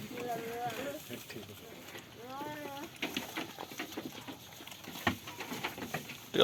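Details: Farm goat bleating while playing and eating: a shaky bleat at the opening, then a second quavering, bending call, followed by rustling, thumps and a sharp knock at the end.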